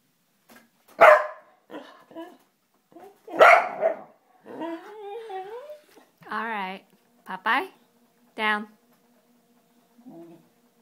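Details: A two-legged pet dog indoors, feisty and excited at paper being loaded into a printer, gives two sharp, loud barks a couple of seconds apart, followed by a person talking over quieter vocal sounds in a small room.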